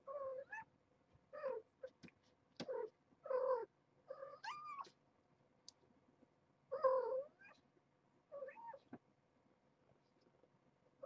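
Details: Indoors one morning, Nala Se, a year-old mother cat rescued as a stray and caring for her litter at Purrfect Pals, urges her kittens awake with a rapid series of about eight bright, wavering meows, some chirping upward, with brief pauses between.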